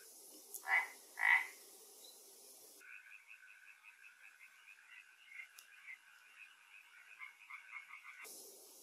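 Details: Frog at a pond in Galicia, Spain, where an Asian hornet dropped into the water; two loud rasping croaks, then a soft rapid rattling trill running for several seconds, with faint background hiss.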